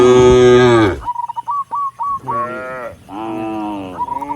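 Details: A herd of tame cattle heading up a rural road toward the barn, mooing to call other cattle. A loud low moo ends abruptly, then a quick run of sharp high chirps, then two more drawn-out moos.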